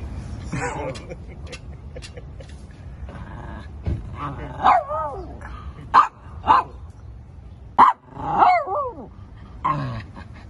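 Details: Shih Tzu yapping: bursts of short, bright barks, some in quick pairs, with clicks and a low steady background rumble.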